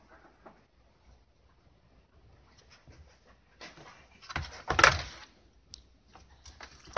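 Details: A food-aggressive Shiba Inu guarding its food: soft breathy sounds at first, then a loud, harsh, noisy burst of snarling about five seconds in, followed by a few short, sharp sounds.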